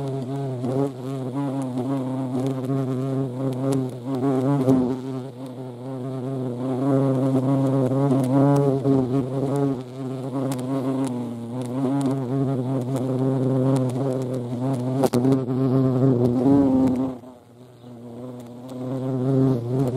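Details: Hornets at a feeding place shared with ants in Dohr, Eifel, Germany, on 28 July 2022; a steady, low droning buzz with wavering pitch runs continuously, briefly fading near the end before returning.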